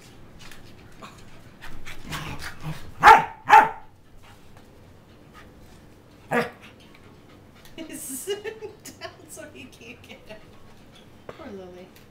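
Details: Tri-colour Pembroke Welsh Corgis play fighting: two loud sharp barks in quick succession, a third bark a few seconds later, then softer growly vocal sounds and scuffling over a quiet background.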